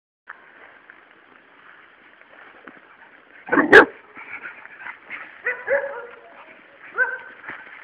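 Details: Luna, a three-month-old Labrador Retriever puppy, plays with a toad and gives short, high, tonal yips and whimpers. A sharp clatter comes partway through, followed by a run of brief whiny notes. A man talks nearby.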